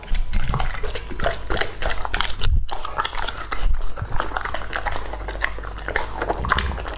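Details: Lucky, a two-and-a-half-year-old male English Labrador Retriever, eats raw meat indoors; dense, wet crunching and biting snaps come in rapid irregular bursts over a low rumble, with a brief quiet gap near the middle.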